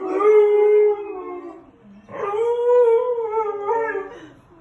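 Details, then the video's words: Siberian Husky howling: two long tonal howls, the first steady then sliding down, the second rising and wavering, separated by a short pause. "Husky Howling"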